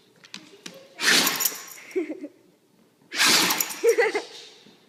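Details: Dogs sneezing indoors: two loud, sharp bursts of broadband hiss about two seconds apart, each trailed by brief snuffling snorts, with faint taps and quiet room noise between.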